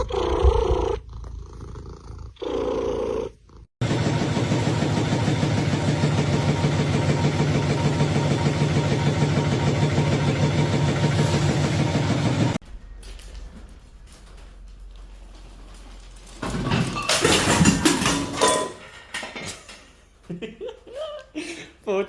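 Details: Domestic cat from a funny cat compilation: a few short meows, then a long, rough, rhythmic purr with fast regular pulses lasting about nine seconds, followed by quieter mixed noises and clatter.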